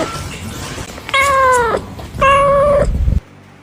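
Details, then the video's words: Cat calling while looking for food, two long level meows with clear harmonics over a noisy rumbling background, the sound cutting off abruptly at the end. "The sound of a cat meowing in a bamboo tree, calling"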